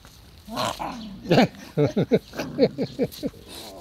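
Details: Elderly French Bulldog, 12 years old, recorded on 15 July 2016, giving a rapid run of about a dozen short, low, throaty grumbling pulses over three seconds, rough and harmonic, with faint background noise between bursts.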